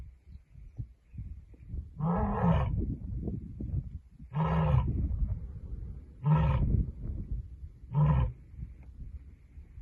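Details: Lioness sending a message with a series of four short, deep grunting roars spaced roughly two seconds apart over a constant low rumbling background.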